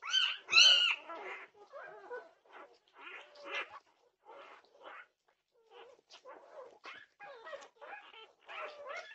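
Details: Night-time outcry from Norwegian Buhund puppies at 2:30 am, June 8, 2021: two loud squealing yelps open, followed by quieter, uneven whimpers and short yips.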